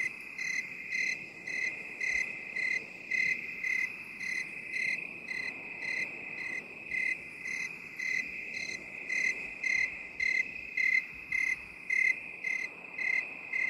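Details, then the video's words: Steady cricket chirping in binaural 8D form: quick, evenly spaced high pulses, roughly two per second, ride on a persistent ringing trill. "8D CRICKET SOUND"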